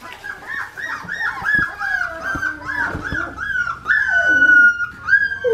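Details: A litter of Australian Shepherd puppies, four weeks old, with their mother Clementine, on an Oklahoma farm. Many high, rapid whimpers and squeaky yips tumble over each other, ending in a longer drawn-out whine, with a few soft thumps.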